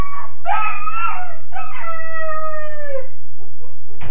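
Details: A Weimaraner puppy about 13.5 weeks old, shut in his kennel crate, wails in two drawn-out, sliding howls, the second holding steady before falling away.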